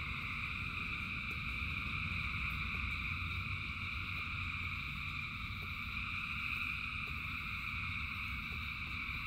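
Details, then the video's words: Thousands of frogs singing together in rain: a dense, unbroken chorus of overlapping high trilling calls forming a steady shimmering drone, over a low rumble of rainfall with scattered sharp drip ticks. "Frogs in Rain 2 Hours of Frogs, Thousands of Frogs Singing"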